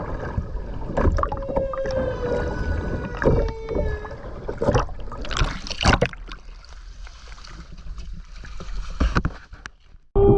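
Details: Humpback whale song heard underwater in the wild off the Ogasawara Islands, Tokyo, Japan, 29 January 2022, GoPro while skin diving: several short harmonic moans, some sliding downward, amid swimmer splashes and bubble noise.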